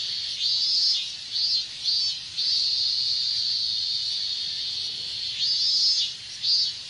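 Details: Minmin cicadas calling in hot Japanese summer weather: a long sustained shrill buzz interrupted by several short swelling pulses at the start and end, over a constant background hum of other cicadas.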